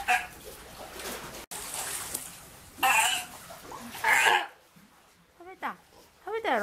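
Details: A 1-year-4-month-old sea lion at an aquarium, not yet weaned and still nursing, gives two short, wavering, nasal bleats near the end, after several seconds of splashing water and background voices.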